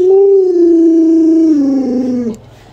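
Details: Alaskan Malamute named Luoluo, a pet dog at home, howling while its owner lies sick in bed; one sustained, slightly falling tonal howl with rich harmonics lasting over two seconds, sliding lower before breaking off abruptly, in a small quiet room.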